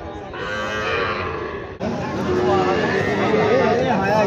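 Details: Sahiwal bull calves at Raniganj cattle market in Dinajpur district, calling amid market bustle: a broad noisy stretch, then a drawn-out harmonic moo with wavering, bending pitch over the final two seconds, crowd noise and voices behind.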